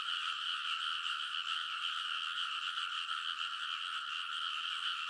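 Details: Frogs in full chorus on rice paddy levees at midnight in early summer, Kōnosu, Saitama, Japan; a brief stretch of dense, buzzing, overlapping croaks with a faint rhythmic pulse, recorded on a TASCAM Portacapture X8.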